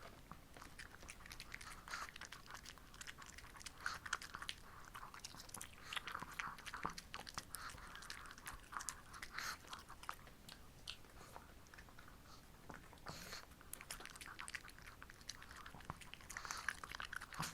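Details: Two female Shih Tzus, Ssamong and Jinsang, indoors eating homemade treats on a hot, humid summer day; dense crunchy biting and chewing clicks run steadily throughout, with small wet mouth sounds in a quiet small room.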